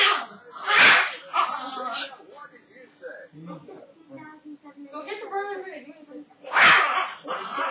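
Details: Cujo, a pet rat terrier who dislikes the broom, barking while being teased with it indoors: two loud, sharp barks about six seconds apart, with people talking in between.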